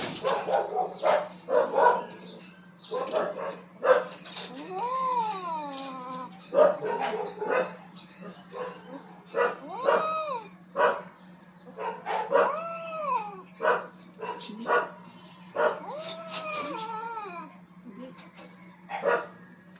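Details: Rooftop fight between two aggressive cats battling for dominance, heard as a dense stream of short clipped cries and thuds broken by several arched, wavering yowls that rise and fall, with a steady low hum beneath.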